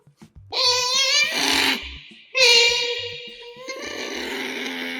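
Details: Pet otters Kotaro and Hana calling while eating indoors, recorded close with a microphone: two long, bright, harmonic squeals with a wavering tremble, separated by a short pause, then a steadier whine trailing off.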